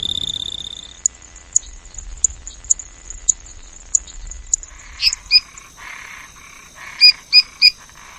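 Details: Frogs calling: a thin, high clicking note repeated about every half second, then a few louder, sharper chirps and short buzzy notes near the end.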